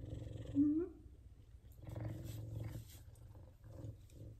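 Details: F2 Savannah cats purring while giving affection and being petted; a steady low rumbling purr runs through the whole stretch, with one brief higher, slightly rising vocal sound near the start and quiet background shuffling.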